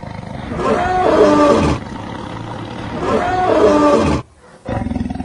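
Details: Luangwa Valley lions eating and playing with their family group: two drawn-out snarling roars, each about a second long, carrying tonal harmonics that bend up and down, separated by a short pause.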